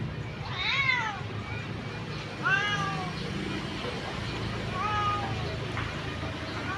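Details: Orphaned cat outside the house, meowing three times with rising-then-falling, drawn-out meows spaced about two seconds apart over a steady low rumble of background hum.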